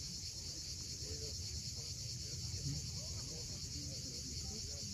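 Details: Crimean coast at Cape Fiolent at sunset: cicadas produce a level, continuous high buzzing wash, with rumbling waves beneath and several quick, faint bird twitters scattered through.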